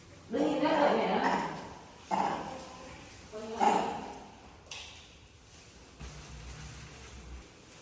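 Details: A female pet monkey gives three short, harmonic, whining calls, each rising and fading in about a second, asking her owner to change her soiled diaper.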